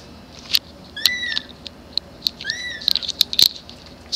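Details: Grey kitten meowing for its mama: two thin falling meows surrounded by sharp clicks and tapping noises, possibly handling or movement close by.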